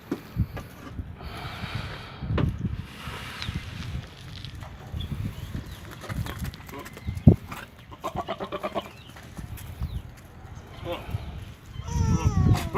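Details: Jamunapari goat at a goat farm in Madurai, bleating in short bursts: a quavering, tremulous bleat around the middle and a rising, nasal bleat near the end, over low rustling farmyard noise and faint voices.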